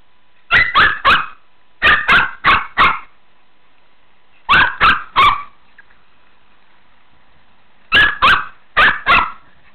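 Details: Shih Tzu at play time in a pool, barking in rapid bursts of three or four sharp barks, each burst separated by a pause of about a second or more.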